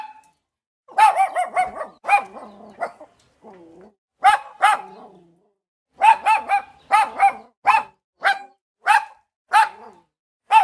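A Boston Terrier barks in sharp bursts, single yaps and quick doubles with brief pauses.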